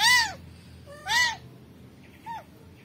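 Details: Rescued kitten calling in two clear arched meows followed by a softer third one.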